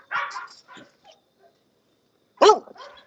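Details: English Bulldog at a kennel raising guard and working dogs, giving two short, loud, harsh barks about two seconds apart with faint yips between, and a man's voice nearby.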